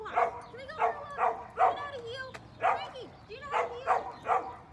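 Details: Five-month-old Mini Goldendoodle Frankie, an energetic puppy in training in Cincinnati, Ohio, barks in a steady run of about eight loud, short yaps, roughly two each second, with quiet speech underneath.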